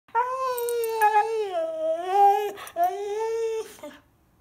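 A Siberian Husky howls in long, wavering tones that dip and rise, broken by two brief pauses.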